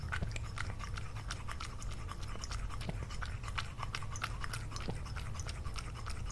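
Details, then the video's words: Lunch with Lily, a cat eating food recorded for ASMR: brisk crunching and biting clicks repeat many times a second, sometimes sharper and louder, over a faint low rumble. "ASMR - CATS EATING FOOD"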